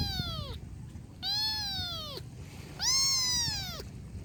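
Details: Kitten letting out three clear, high meows, the later two longer and louder, each sliding downward at the end, over a quiet low background noise.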